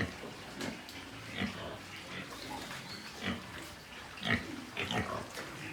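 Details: White pigs at a farm in Nepal: scattered short grunts and snorts with a few higher squeaky notes, over background farm noise.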